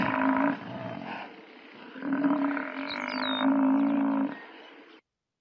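A buffalo gives two deep, drawn-out bellowing moans, the second one longer and steady.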